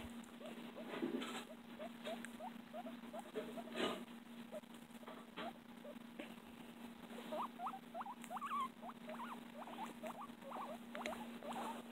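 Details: Loud pet guinea pig making long series of brief squeaking notes, quick and regular at first, then louder and sharper toward the end, over a constant electrical hum and occasional rustling.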